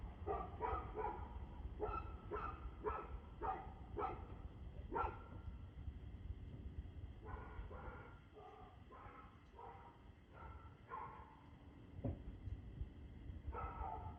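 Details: Dog barking repeatedly at 6:02 pm on 2/6/2024, giving long series of harsh barks roughly every half second, with a brief lull midway, while a low steady rumble runs underneath.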